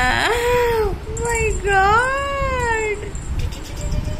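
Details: Playful Persian kitten mewing three times in a small room: a short meow, a brief faint one, then a longer bending mew that rises and falls. Light background hiss.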